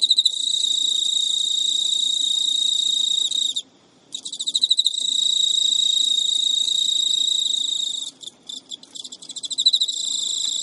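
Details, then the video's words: Pet male Emma field cricket in Japan, midnight, early September 2011, courting a female who refuses to mate: sustained shrill trill, a short pause, then soft ticking pulses swelling back into the steady chirring. "Cricket Courtship Song Failed エンマコオロギの交尾拒否"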